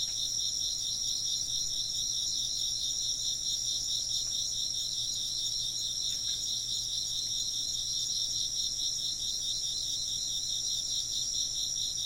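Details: Steady high trilling from many insects, the lower layer beating in rapid pulses; a few faint soft clicks break in around the middle, with the chorus otherwise constant.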